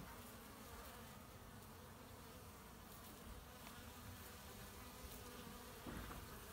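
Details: A continuous low buzzing hum from honey bees gathering pollen, recorded 18 March 2018, with a soft hiss of background noise and a brief louder rustle near the end.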